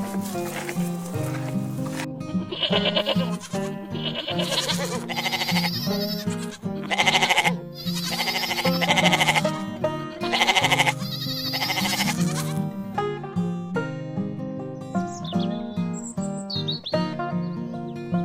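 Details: Bleats of domestic goats in a series of loud, quavering bursts repeated over about ten seconds, set against continuous background music that carries on alone toward the end.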